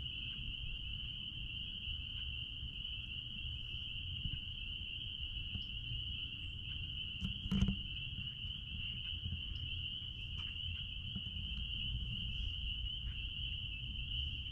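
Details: Out back at a blueberry farm, a dense chorus of spring peepers forms a constant piercing high whine, with a brief louder knock midway and low-pitched background rumble throughout.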